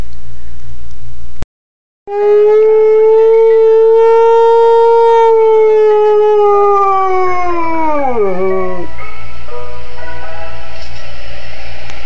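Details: A Siberian Husky indoors one afternoon gives a long, steady howl that slides down in pitch at the end, reacting excitedly to an ice cream truck song played for him.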